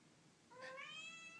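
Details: Domestic cat indoors, said to be crying like a baby: one clear rising then level meow, harmonic and steady, held for under a second, with a quiet room behind.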